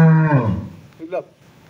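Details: A young Holstein Friesian cow with two teeth is offered for sale at a cattle trader's yard in Setabganj, Dinajpur. She gives a short, deep, low-pitched moo that fades quickly, followed by a brief fragment of human speech.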